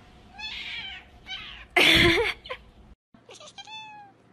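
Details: Persian cat giving a series of meows, a few short nasal calls followed by one loud harsh cry and then a thin, clear, slightly falling meow.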